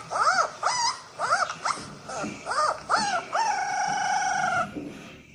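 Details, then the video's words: Poodle puppy howling while watching videos: a run of short arched yowls, about two a second, ending in a sustained level wail, with music in the background. "French poodle auyando"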